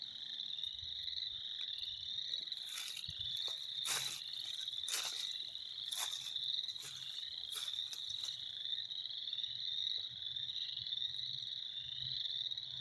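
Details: Spring frog chorus: a dense, continuous high trilling band of many calling frogs, steady throughout, with several sharp broadband clicks or knocks scattered between about three and eight seconds.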